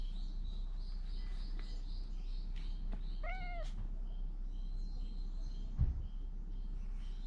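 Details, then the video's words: Stray cat under the Fukugi tree-lined avenue of Bise, Okinawa, Japan, calling loudly as if telling something, filmed on a GoPro 9: one short descending meow with clear harmonics midway, over steady outdoor ambience. "大声で何かを訴える猫-cat that tells something loudly"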